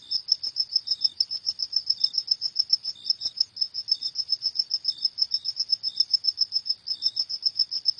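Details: A cricket calling at night gives a continuous run of bright, high-pitched pulsed chirps at a fast even rhythm, joined by sporadic quieter lower chirps; no other noise is heard.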